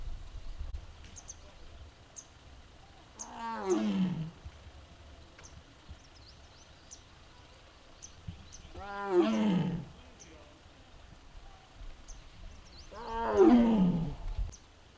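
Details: Mugung, a six-year-old captive tiger at the Tiger Forest of Baekdudaegan National Arboretum in Bonghwa, Korea, on an April 2026 afternoon, gives three drawn-out, moaning calls about five seconds apart, each falling in pitch, over low rumbling background noise.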